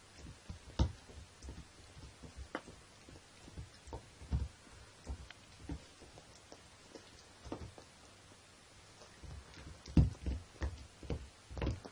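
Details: Scattered soft thumps and taps in a quiet indoor room over a low hum, with no animal calls heard.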